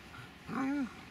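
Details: Dobermann Magmar Von Der Burgstätte gives a single short whine, a tonal, slightly rising then falling note under a second long, with faint background noise.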